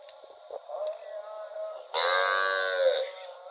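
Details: A cow in rural rice fields lets out a loud, sustained moo lasting about a second after soft low murmuring, while a constant faint whine runs through the background.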